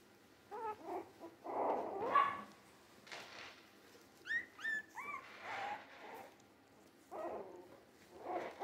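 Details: Three-week-old Jack Russell Terrier mix puppies, born 17 December 2020; thin, squeaky whimpers rising and falling in pitch, mixed with short rough yelps and pauses between.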